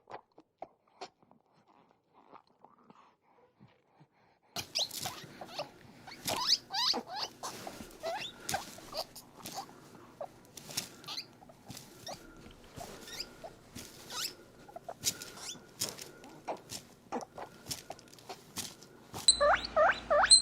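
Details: Pet guinea pig held and squeezed while drinking milk, making happy noises: after a quiet start, rapid clicking and lapping patter with scattered short rising squeaks, which grow louder near the end.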